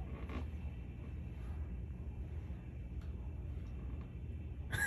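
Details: Steady low rumbling background noise with faint creaks and a short clatter at the end, no animal voice heard.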